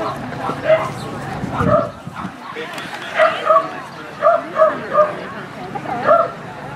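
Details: Norwich Terrier giving short yipping barks, clustered around three and four to five seconds with a final yip near six seconds, over a steady background hum with a brief spoken word at the start.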